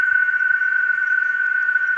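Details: Cicadas sing around 5:30 in the evening at dusk on a quiet family farm with a sugar-apple plantation, a steady, unbroken drone holding one pitch without pause.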